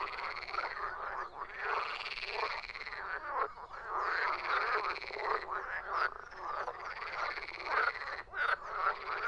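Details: Chorus of croaking frogs, with rough, rattling calls overlapping steadily, individual croaks rising and falling in loudness over a constant background of further callers.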